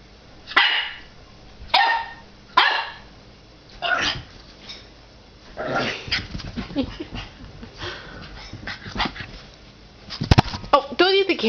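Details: Axel, a nine-week-old puppy who has found his reflection in a fireplace glass door, gives three quick sharp barks, then scuffling and softer yips, then a burst of high, wavering yelping whines.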